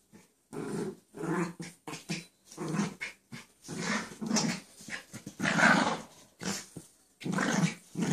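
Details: Indoor play between dogs Chance and Sally, Chance lying down to play with her; rapid, irregular growls and grunts, some low and throaty, others harsher, tumbling one after another.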